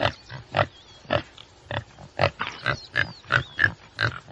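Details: Tsessebe antelope uttering a string of coarse grunts, irregularly spaced and growing denser toward the end, while soft curling bird whistles sound faintly behind.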